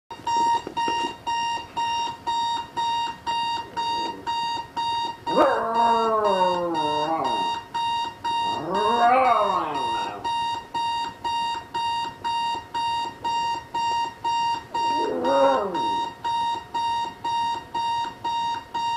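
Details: Jax, a pet dog, reacts indoors beside the bed to a ringing alarm clock he dislikes; steady rapid electronic beeping runs throughout, with three wavering, falling howls rising above it midway and near the end.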